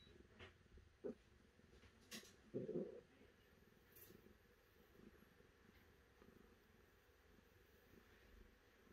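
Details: A cat gives one short, low, harmonic meow partway through, with a few soft clicks and knocks before it and quiet background hiss afterward.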